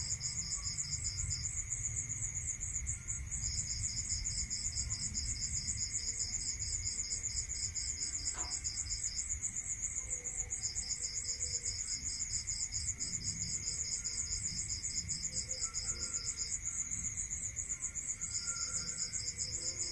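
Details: Crickets calling at night in the countryside, high rapid pulse trains lasting a few seconds each and separated by brief silences, over constant buzzing and a lower steady tone; one faint click midway.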